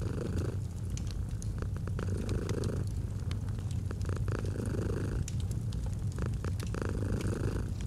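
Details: Relaxing domestic cat purr set against a crackling fire in cozy autumn mood: soft low rumble swelling with each breath every two seconds or so, accompanied by dense clusters of popping crackles.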